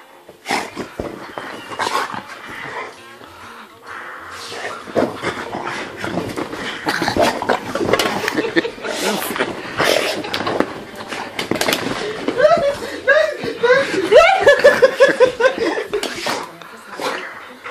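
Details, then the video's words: A dog having its crazy five minutes, a dense run of rough growling barks and yelps with rising, wavering whining tones near the end. "Hund spinnt!!"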